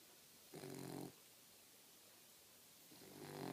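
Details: Four-month-old female Boxer puppy fast asleep, snoring: one rough, rasping snore, then a second one beginning near the end, with quiet room tone between.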